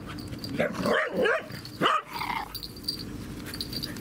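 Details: Dog at a dog park, filmed 16 February 2019 with an Insta360 camera: low rough growling rising into a pair of harsh barks, then a sharp yelp sweeping upward, over steady outdoor background hiss.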